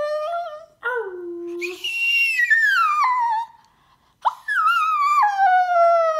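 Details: Splinter, a male Chinese Crested Poodle mix (Crestepoo), howls indoors in long tonal wails: a short low note, then high drawn-out cries sliding downward, a brief silence, then another falling howl with rich harmonics.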